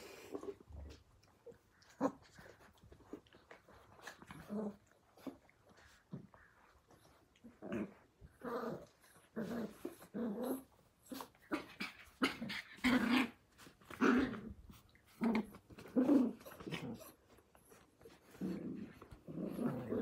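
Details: Australian Cattle Dog puppies (blue heelers), born May 5, 2020, playing together in a pen: bursts of short, low, rough growls and grumbles come in quick clusters, separated by brief quiet gaps, with scuffling and breathing in between.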